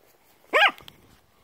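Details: A Yorkshire Terrier gives a single sharp, high-pitched bark while begging during a fetch game with a pebble, Russian speech around.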